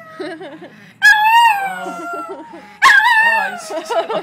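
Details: Pet chihuahua howling indoors in response to a Sarah McLachlan song playing in an ASPCA television commercial; long, loud, wavering howls sliding slowly downward, two drawn-out bursts, with the commercial's sung music and voices heard underneath.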